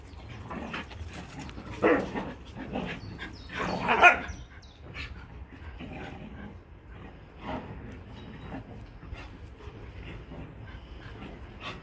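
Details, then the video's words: Dogs at play giving scattered short barks and yelps, loudest around two and four seconds, with whimper-like sounds over a constant low rumbling background. "Playing dogs"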